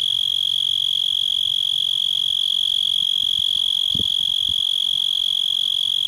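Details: Continuous high-pitched cicada buzz in a yard, evenly pulsed and unwavering, with a couple of brief low thuds partway through.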